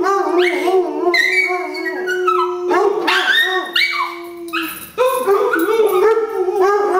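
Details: Two pet dogs howling together indoors: overlapping long tonal howls, some held steady, others bending up and down, with short yips and whimpering notes between them.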